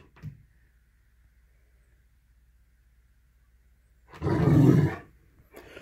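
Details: Great Dane named Brody, indoors, facing off with a small kitty cat blocking its way; a single deep, loud, low-pitched bark-like burst lasting under a second after near silence, with brief faint knocks around it.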